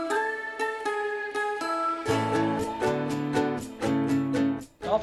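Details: Plucked string music, like ukulele or guitar, plays steady repeated chords with a bright melody, and no animal sound is heard.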